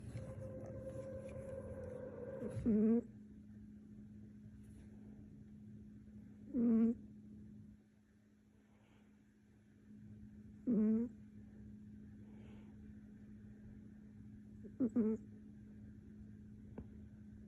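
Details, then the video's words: A cat named Vader snoring: short, rough snores recur about every four seconds, each a brief throaty burst, over a steady low background hum. "Cat snoring"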